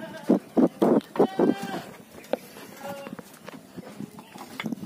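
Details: Etawa goat, a young prospective breeding buck, utters a quick series of five loud, harsh bleats in the first second and a half, then quieter wavering calls with scattered knocks and rustling.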